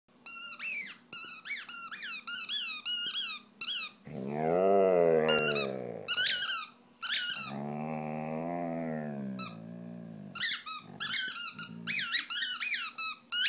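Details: Pet dog howling along with a squeaky toy indoors: high, rapidly repeated squeaks alternate with two long, wavering, mid-pitched howls, each lasting about two seconds.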